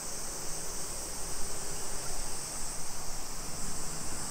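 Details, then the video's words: Cicadas singing on a July 2021 summer afternoon in suburban Nisshin, Aichi, Japan, about 20 km from downtown Nagoya: a continuous shrill droning buzz that never pauses, with muffled low thumps from walking underneath. "Summer Cicadas Sounds"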